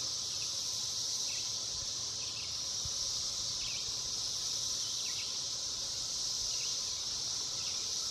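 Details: Millions of cicadas in the woods sing in a steady, shrill, high-pitched drone that fills the air without a break.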